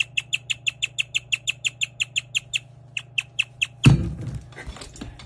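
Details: A guinea pig chirps, a rare sound often mistaken for a bird, in a fast, steady series of sharp, bird-like notes, ending with a thump.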